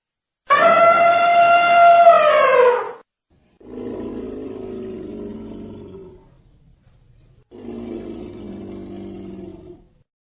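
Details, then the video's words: Elephant calls: one loud, brassy, harmonic trumpet lasting over two seconds and slightly falling at the end, followed by two lower, rough, growling rumbles of about two to three seconds each, separated by short silences. "Elephant sound"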